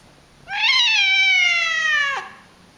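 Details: Pet cat screaming indoors: one long, loud, harmonic-rich cry of about 1.7 seconds, rising briefly then holding steady and sliding slowly downward before cutting off abruptly; quiet room otherwise.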